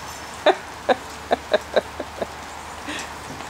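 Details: Japanese Chin playing, a small dog's short high yaps in a quick run of seven, the first five louder and evenly spaced about every half second, the last two softer, then a brief rustle.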